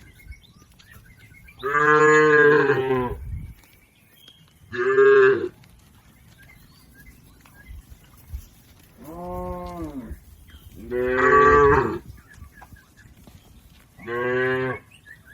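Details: A herd of tame village cattle grazing in a green field: five moos spread over fifteen seconds, some long and some short, one softer and lower, with a quiet outdoor background between them.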